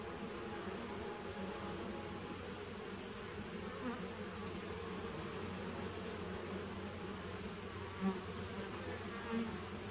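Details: Continuous droning buzz from a nuc of honey bees started in 2017, captured 19 September 2018; an even low-pitched hum without pauses, a few soft taps near the end and a faint steady high whine throughout.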